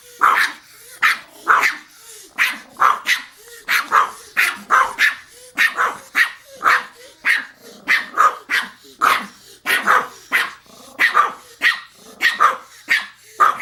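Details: Pomeranian yapping nonstop, roughly two sharp high barks per second for the whole stretch, each bark clipped and bright, with thin whines slipping in between.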